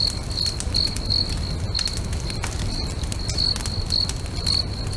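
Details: Crickets singing beside a lake at sunset near a crackling bonfire: steady high, thin pulsed chirps, about two to three per second, over a constant low rumble and sharp snaps and pops of burning wood.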